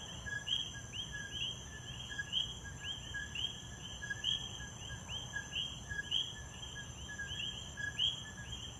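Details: Chorus of coquis in Puerto Rico, several frogs overlapping their rapid two-note co-qui calls, each ending in a bright rising whistle, with a constant high-pitched insect drone and faint low background noise.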